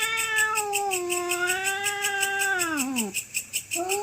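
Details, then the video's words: Night-time territorial fight between cats, a long moaning yowl held steady, then sliding downward and fading, followed by short pulsing sounds before a new yowl begins. "Kucing Gelut Rebutan Wilayah - SUARA KUCING GELUT"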